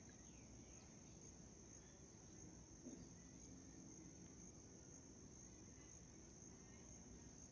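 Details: White cricket giving a steady, unbroken high-pitched trill held at one constant pitch throughout, over a faint low rumbling background with a brief soft knock near the middle.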